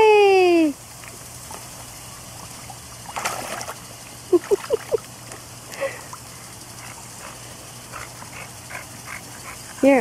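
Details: Dog in a backyard pool on a hot day; a long falling whine opens, then soft splashing and short quick yelps, and a final short whine at the end.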